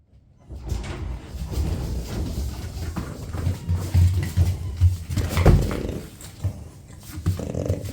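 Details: French Bulldogs of one family, grandmother Ume (7, a hernia dog now struggling to walk), mother Roku and eight-month-old daughter Yuki, competing indoors over scrambled egg; low, rough snorts and grunts come in uneven bursts, loudest near the middle, in a small room.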